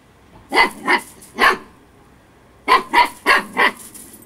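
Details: Storm, a female Husky puppy at eight weeks old, playing excitedly, yaps three quick high barks, pauses about a second, then fires off four more in a steady run.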